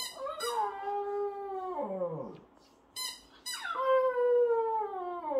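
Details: Shih Tzu puppy singing along with a baby: two long sliding howls that slowly fall in pitch, each opened by short high-pitched squeals, with a brief pause between them.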